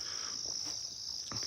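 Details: Crickets calling loudly outside on an evening just after dark in South Africa: a dense, steady high-pitched shrill that runs unbroken throughout, with faint speech and a soft knock in the background.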